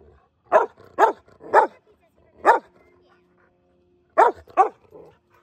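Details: Mastiffs romping in snow with a Rottweiler; deep, booming barks, three in quick succession, one more after a pause, then a closer pair, with quiet gaps between.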